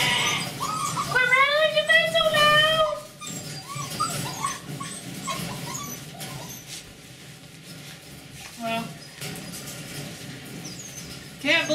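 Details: Domestic puppies on the morning of their vaccines, a few days before leaving for new homes: high, wavering whines with bright harmonic stacks over the first three seconds, then softer shuffling sounds and a quiet human voice.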